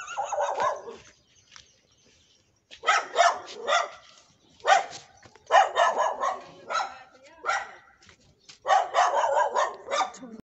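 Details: A neighbour's dog barks in rapid bursts, several quick barks in each, with short pauses between the bursts and a few brief silent gaps.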